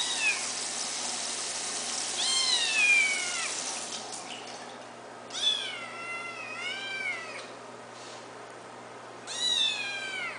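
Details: White kitten, eight weeks old, giving five clear meows. Each is a high, harmonic-rich cry that slides downward, in short bursts spread across about ten seconds. A faint steady hum sits underneath.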